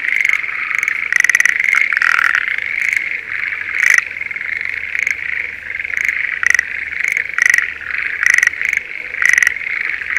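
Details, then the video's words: Spring rice paddy near Sendai, Japan, full of breeding Schlegel's green tree frogs: a thick chorus with frequent short rattling bursts, closely spaced early, then rhythmic single bursts about every second, plus a faint low hum. "シュレーゲルアオガエルの鳴き声Voice of schlegel's green tree frog"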